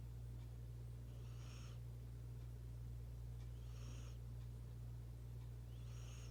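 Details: Snoring from the house cat Luna, who suddenly starts breathing hard; three rasping, airy breaths spaced roughly two and a half seconds apart, with a constant low hum underneath.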